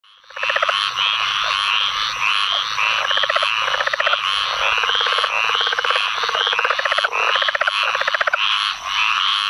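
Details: Southern leopard frog calling in a rain-flooded field in Onslow County, North Carolina, on 11 May 2015 after Tropical Storm Ana: rapid chuckling pulse trains repeat through a dense chorus of other leopard frogs, squirrel treefrogs and pine woods treefrogs.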